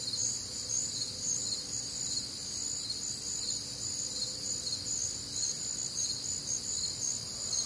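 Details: Warm, humid summer night in the Midwest filled with cricket song: constant high-pitched pulsing chirps from many insects layered in bands, plus a faint low hum.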